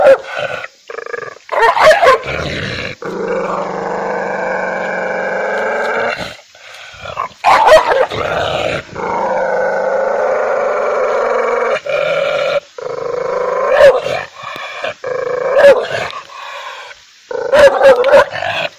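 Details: Angry dog barking loudly, alternating drawn-out snarling growls with bursts of sharp, snapping barks repeated irregularly across the recording.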